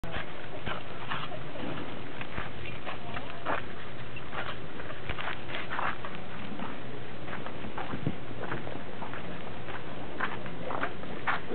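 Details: Dogs, Pembroke and Cardigan Welsh Corgis with a Cairn Terrier, recorded on 30 December 2006; short, scattered yelps and whimpering bursts keep recurring over a steady, hissing background.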